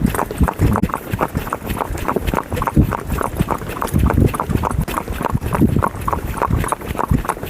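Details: Horse being ridden on a Sunday outing, its hooves striking the ground in a steady clip-clop of roughly three beats per second with dull thuds and sharper knocks, over light outdoor background noise.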